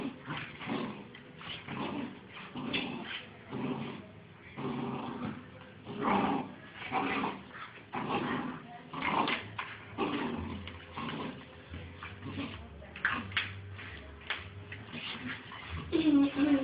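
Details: Two Bull Terrier puppies at play, trading low growls, whimpers and short yips in scattered bursts, with a steady low hum underneath and a rising squeal at the very end.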